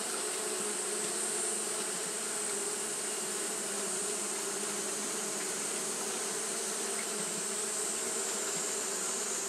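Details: A colony of Japanese honey bees fanning steadily through a hot day: a long, unchanging hum of many wings, low droning tones under a bright hiss, with no silences or other animals.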